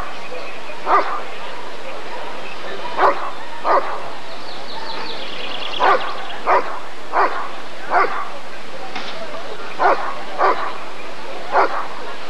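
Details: At an ADRK breed survey in 1994, a Rottweiler gives a long series of about eleven deep, clipped barks, sometimes paired in quick doubles, against a steady hum of voices and crowd noise.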